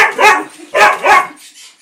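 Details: A female Siberian Husky gives three quick, harmonic, yodel-like barks, insisting on a biscuit before going out for a ride.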